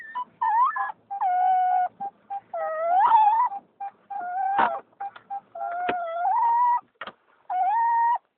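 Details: Excited rescued female dog from Turkey crying happily on arriving home by car: nearly continuous run of clear, tonal whines, each sustained and gently bending in pitch, broken by brief gaps and a few short sharp clicks.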